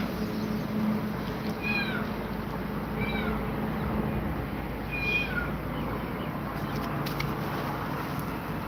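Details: Cat frightened by two mother cats, giving three short high meows with clear harmonics, around 1.7, 3.1 and 5.2 seconds, over steady low background hum and rumble.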